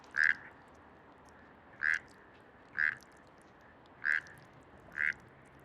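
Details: Male frog calling in Bogotá, Colombia, to win a female, who may favour the most frequent, longest or loudest call: five loud, short, bright croaks spaced roughly one to one and a half seconds apart over a quiet background.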